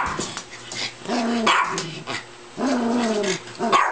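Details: Pet dogs being played with for fun: two drawn-out, rough, harmonic barks that slide downward, about a second and a half apart, with clicks, shuffling and faint background voices between them.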